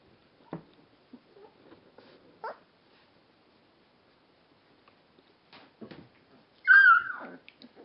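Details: Rhodesian Ridgeback puppies, twelve days old, make scattered soft squeaks and rustles in a quiet room, then a single short, high whining yelp near the end.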